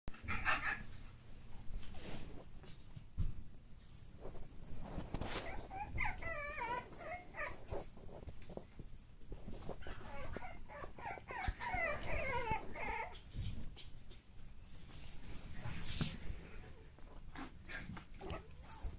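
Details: Pug puppy siblings born 10 August 2015 give thin, high wavering whimpers and whines in two bursts midway through, over steady rustling, scratching and clicking movement noise indoors.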